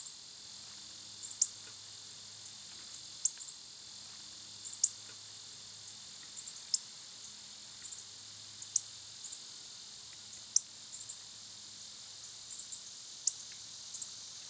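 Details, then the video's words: Loud summer insect chorus led by cicadas: a constant high-pitched hiss, punctuated by quick sharp chirps roughly every one to two seconds, probably birds or squirrels nearby. "Cicada sounds"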